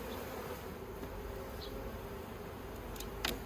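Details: Dense, steady hum of many honey bees working a yellow hive fitted with plastic frames, Australia, 9 October 2021, with a few faint clicks near the end.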